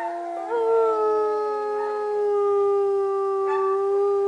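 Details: Captive gray wolves at the Northern Lights Wolf Center, Golden, British Columbia, Canada, howl together in long smooth tones held steady, one voice slowly sliding lower beneath another, possibly answering wild wolves up the valley.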